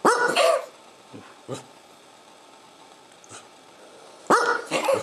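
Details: Corgi at home producing a 'neuf'-like vocalization, French for nine: a drawn-out, harmonic, yowling bark at the start, faint brief sounds in a quiet middle, then another strong two-part yowl at the end, with the owner saying 'no'.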